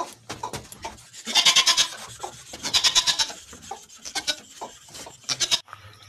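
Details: Barbari goat on a goat farm in Assam, India, giving harsh, rasping bleats: two longer wavering bursts in the middle and several shorter cries around them, with soft background noise.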